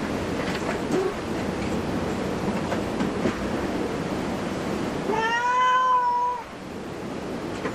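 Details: A cat at a cat cafe, perhaps Su-kun, the disabled black cat, or Hoa-chan, white with black brows: one long, steady, slightly wavering meow lasting over a second near the end, after a stretch of dull background rumble and noise.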